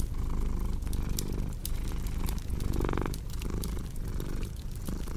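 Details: Low, rumbling cat purr with uneven breath pulses, a brief louder voiced swell near the middle, and fireplace crackling and popping throughout.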